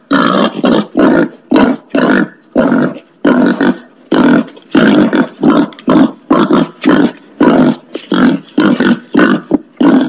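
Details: Steady series of rough, breathy grunts from a wild boar, roughly two per second for ten seconds, each a short broadband burst, close and loud.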